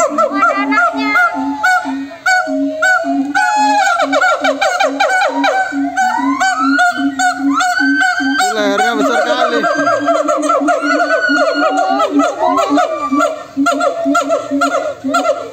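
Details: A noisy group of monkeys calls back and forth without pause, layering rapid arched whoops, drawn-out rising wails and a constant low hooting note into a thick, continuous chorus.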